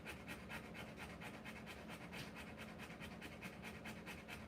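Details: Rottweiler dam panting hard during the live birth of her puppies, quick breathy pulses a little over two per second, evenly sustained.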